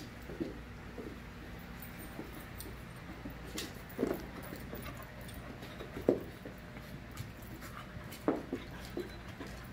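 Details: Five-month-old puppies in a play group, wrestling with short low growly grunts and yips every couple of seconds, louder bursts near four, six and eight seconds, over a steady background hum and scuffling.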